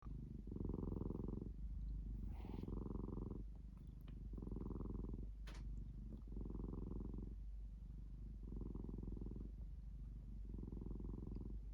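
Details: Domestic cat purring steadily and close, each rumbling purr lasting about a second, alternating with softer in-breath phases for six cycles, about one every two seconds, in a quiet room.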